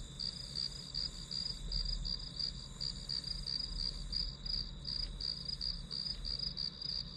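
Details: Grass insects calling as study background ambience: a steady stream of short, high chirps repeated about three times a second over a constant high hum and low rumble.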